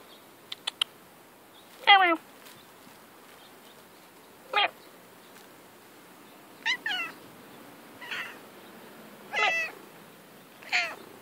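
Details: Female pet cat playing outdoors in grass, meowing about seven times in eleven seconds: short, bright meows with stacked harmonics, some dipping then rising, spaced one to two seconds apart, with a few faint clicks early on.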